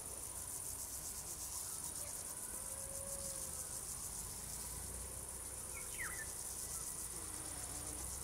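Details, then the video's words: A continuous high-pitched cricket trill, evenly pulsing, fills the scene; a short faint hum and a single quick downward chirp near the end appear beneath it. "singing crickets"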